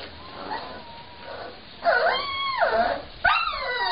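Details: Young Cane Corso Mastiff puppies give soft, thin whines, then louder arching whimpers that swell and drop away. The final cry comes in sharply near the end, over a quiet background.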